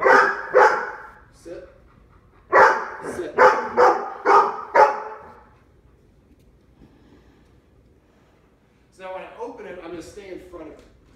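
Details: Three Labs, Lola, Dale and Max, barking at the door of their Omaha home: two quick barks, a pause, then five barks in a row, followed by quiet and a person talking.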